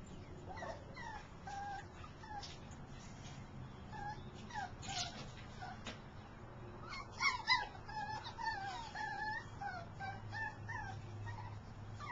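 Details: Portuguese Podengo male dog whining quietly with thin, wavering high whimpers and brief yips, a brief louder cluster midway, steady low background hum throughout.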